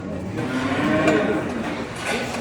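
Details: Pregnant Danish Red heifers, purebred breeding stock on a farm in Turkey; a drawn-out moo with steady harmonic bands and a slight rise in pitch near the middle, over a busy background of barn noise.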